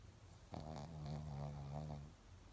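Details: Shih Tzu named Laimos snoring: one long, rattling, low-pitched snore lasting about a second and a half, buzzy with a steady droning tone, in a quiet indoor room.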